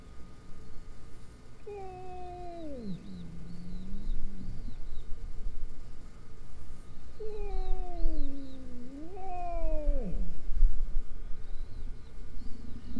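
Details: Stray cats squaring off in a possible fight: two long sliding yowls that fall then rise again, separated by a pause, over steady background hum and faint chirps.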